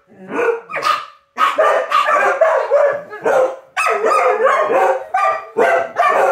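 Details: Several dogs howling as noontime sirens begin to ring: a dense, overlapping chorus of wavering, harmonic howls and yelping cries, rising and falling in pitch, with short bark-like bursts, almost continuous after a brief pause near the start.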